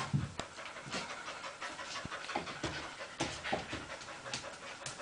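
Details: Pair of pet dogs romping and wrestling in play: soft, fast panting breaths mixed with snuffles, scrabbling and thuds of contact, fairly quiet and continuous.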